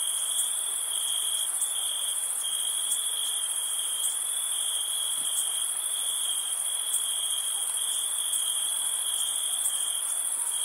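Crickets trill in a steady, high, unbroken chorus on a summer night.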